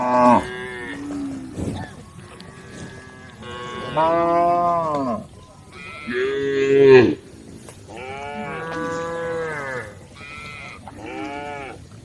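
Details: Tame female cows in a group returning to the cowshed with a cowherd; repeated drawn-out moos from several animals, arched harmonic calls each lasting about one second, some overlapping, with quieter gaps between.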